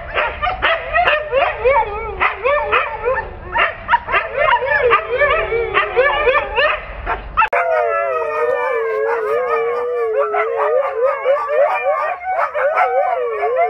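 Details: Pet Siberian Husky vocalising: first a burst of quick wavering yips and whines, then after an abrupt cut a steadier long howl with gently wavering pitch.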